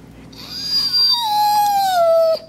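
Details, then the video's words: Singing whine from Kingsley, a rescue dog with HART All Breed Dog rescue, showing off his vocal range: one sustained tonal note about two seconds long that slowly slides downward in pitch. "Kingsley Singing/Whining/Being Annoying"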